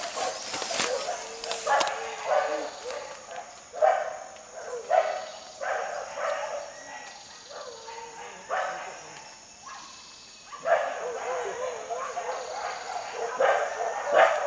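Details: Pack of hunting dogs in forest pursuit of wild boar, giving drawn-out, wavering bays and barks in irregular bursts, with a steady high insect-like whine running through and occasional human voices.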